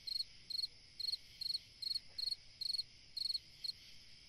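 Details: A cricket chirps through a summer night, pulsed chirps of four to five beats coming a little faster than twice per second, with a steady high insect hum behind.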